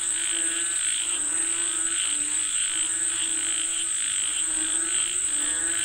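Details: Frogs calling for rain fill the air with layered, repeated croaks in pulsing bursts, backed by a persistent high insect whine.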